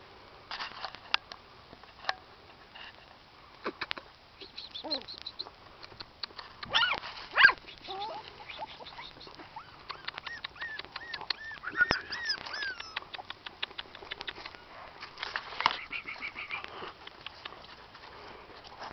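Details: Shetland Sheepdog puppies, 26 days old, at a hobby breeding kennel in Calabria, Italy, making soft high squeaks and arched whines, strongest midway through, among rustling and clicks, with a person speaking Italian.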